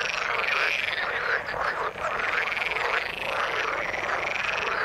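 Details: Frogs in the water calling in a continuous, crowded chorus: rapid rattling croaks blend with higher ringing trills, with a brief dip in loudness midway before the din resumes.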